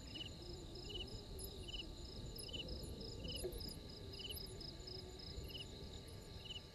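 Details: Insect chorus at a waterhole on Djuma Game Reserve in South Africa's Sabi Sand Wildtuin: regular high pulsed chirps about three times a second over a steady shrill trill, with scattered higher ticks and low ambient rumble.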